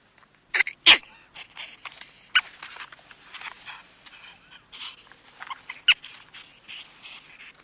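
A ferret gives quick, scratchy chattering bursts and squeaks, irregular and mostly high-pitched.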